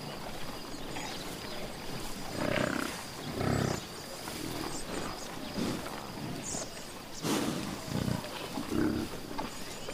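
A buffalo gives deep, rough growls in short bursts, with pauses between each rumbling grunt.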